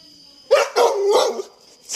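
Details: Labrador Retriever named Toby giving three quick barks in close succession, each a loud, rough burst with a clear tonal core, followed by a short quiet pause and a faint sound at the end.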